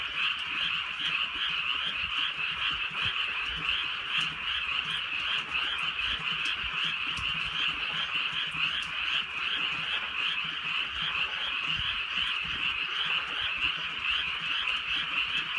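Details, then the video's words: Frogs calling on a drizzly countryside night: a dense, continuous chorus of pulsing, buzzy croaks that merge into a steady shimmering wall of sound, with faint ticks of light rain. "개구리 소리"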